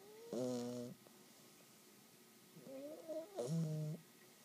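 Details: A 12-week-old English Bulldog puppy (Canis familiaris) snores in two deep, buzzy, rattling bursts a few seconds apart.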